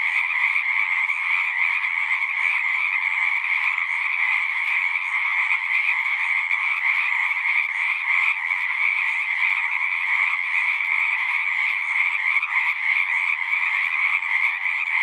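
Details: A dense chorus of singing frogs, a steady wall of overlapping trills in two pitch bands, one middle and one higher, holding an even level for the whole stretch without pauses.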